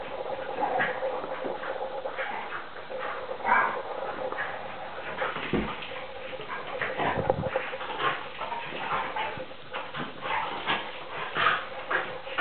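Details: NooNoo the pointer and Tarka the young Vizsla puppy, three and a half months old, wrestling in play. A steady stream of snarling growls runs throughout, broken by sharp yaps and a couple of low thumps.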